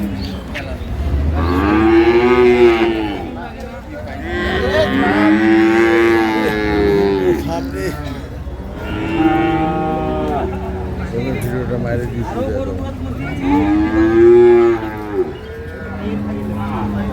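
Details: Dairy cows at Ambari Haat livestock market in Dinajpur, 9/3/25, among improved-breed milk cows and calves: several long, deep harmonic moos, each about a second or two, rising then falling, spaced a few seconds apart, over market murmur and background music.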